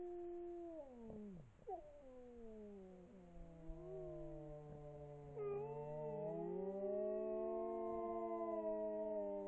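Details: A pack of grey wolves in Poland howls together, several long sliding voices overlapping and rising and falling in pitch.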